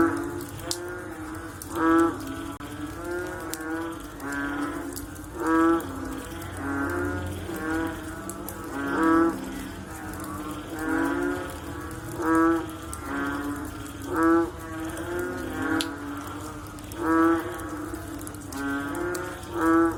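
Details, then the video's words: Post-rain frog chorus of deep, groaning, cow-like calls repeating every two to three seconds from several individuals, with a faint low hum throughout. "Sound After Rain With Sound of Frog / Bunyi Selepas Hujan Pakej Bunyi Katak"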